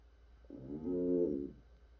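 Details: African bullfrog calling: a single low, hollow, mooing croak lasting about one second, rich in harmonics and rising slightly in loudness before fading, in a quiet indoor setting.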